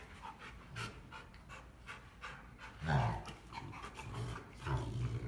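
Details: Rottweiler panting during play between Clyde and the smaller Cruella; rapid airy breaths with a louder rough exhale near the middle and low grunting scuffles, faint room hum underneath.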